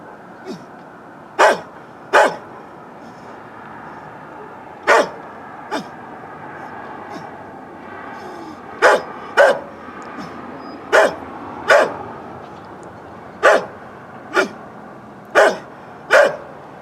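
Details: An old dog belonging to a neighbor barking, recorded on a Canon camcorder: about a dozen single, sharp barks at irregular gaps of one to two seconds, over a steady low background hum.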